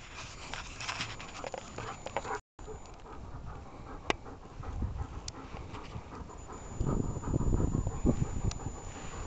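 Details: Dog panting during a game of fetch with a ball: quick, breathy, noisy puffs, roughly three or four per second, growing louder and denser toward the end, over rustling outdoor background.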